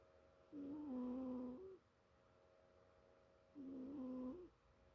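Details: Snoring of JJ Joey, a two-year-old pet cat, while she sleeps: two drawn-out, low, buzzy tonal breaths with a slight wavering pitch, each lasting about a second, separated by quiet pauses in a still indoor setting.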